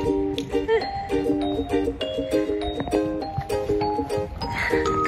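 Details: Chiming melodic music with bell-like repeated notes and some speech, no animal call.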